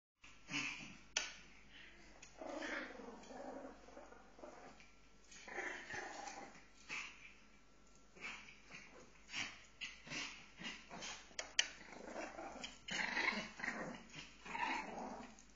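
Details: Pomeranians fighting: rough, snarling growls in irregular bursts, broken by sharp snaps and brief yaps, varying in loudness across the stretch.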